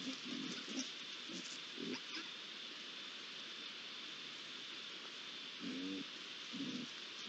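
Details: At a pond on 8 July 2022, three young Iberian lynxes make scattered low, throaty calls, with a quiet stretch in the middle and a louder pair near the end, all under a steady high hiss.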